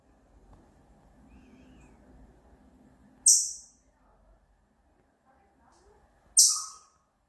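A chipmunk gives sharp, very high chip notes about three seconds apart as a breeding-season mating call.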